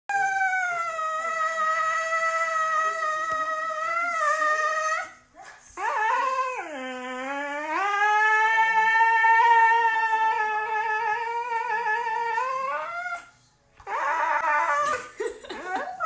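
A Siberian Husky gives long, wavering howls that swoop low and climb back up.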